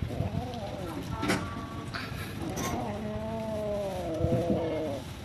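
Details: Hungry cats and kittens living at a pagoda, fed rice and raw food: short cries early on, then long drawn-out harmonic meows rising and falling over the final two seconds, with human voices mixed in.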